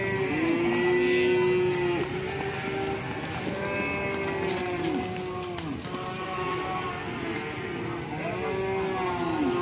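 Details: Angry, fierce cattle bellowing at their panicking owner: a sequence of repeated moos, each a sustained tone ending in a downward slide, roughly every two seconds, over steady background noise.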